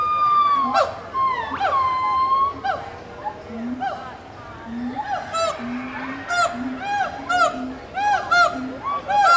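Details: Gibbons calling to each other at Animal Kingdom, Walt Disney World, in 2018: rising whoops and glissando hoots answering back and forth, with quicker rhythmic notes building toward the end, while people talk in the background.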